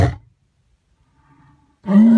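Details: A white lion gives a deep, harmonically rich roar that starts suddenly after a brief quiet pause.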